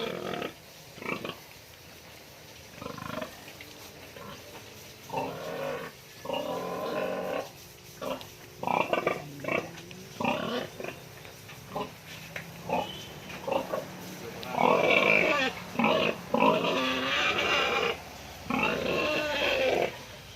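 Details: Sow close to farrowing, at feeding time during her deworming, gives bursts of short harsh grunts and squeals at about one burst per second or two, growing louder and higher toward the end.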